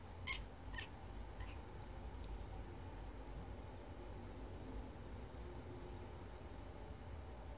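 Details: Kitten chattering: two or three short, sharp chirps with bright overtones in the first second and a half, then only faint traces over a steady low hum for the rest.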